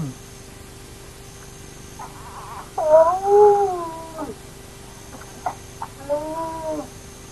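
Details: Remote camera at the Naledi clan's active hyena den: two wavering, arching whines with soft clicks and taps scattered around them.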